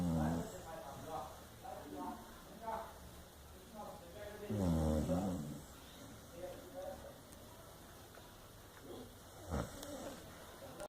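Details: A sleeping Chow Chow snores in low, rumbling, irregular breaths with occasional voiced snorts.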